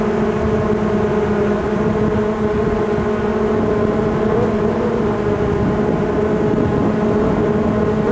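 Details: Honeybee swarm moving in at a beekeeping site, a loud steady drone with a low hum near two hundred cycles and a stronger overtone band above it, continuous throughout.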